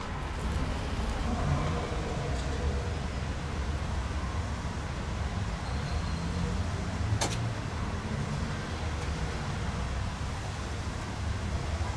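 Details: Low rumbling road traffic and faint distant voices fill the recording, with a single brief click partway through.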